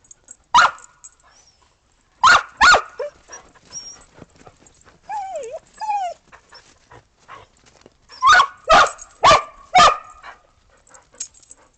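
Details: After the 15 December 2022 snowstorm, Australian Shepherds and a Boston Terrier play in the snow until breakfast; scattered barks open and close the stretch, with high whining yips in the middle.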